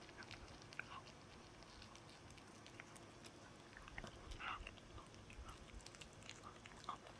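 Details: Pet dog eating a chew in a small room: scattered wet crunches and sharp clicks, a slightly louder grinding burst midway, against a steady low background hum.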